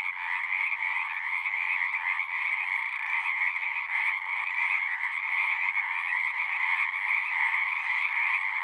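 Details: A dense frog chorus at a pond in a horse pasture, recorded with a Zoom recorder: many voices trilling at once in a steady, buzzy two-toned drone that barely varies in loudness.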